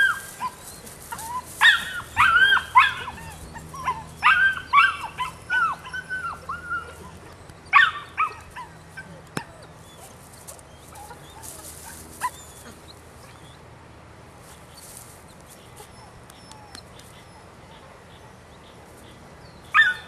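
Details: Nine-week-old female puppy, Rodin/Katana, yapping in rapid high-pitched yips and whines for the first eight seconds, then mostly quiet with an occasional isolated squeak and one last yelp at the end.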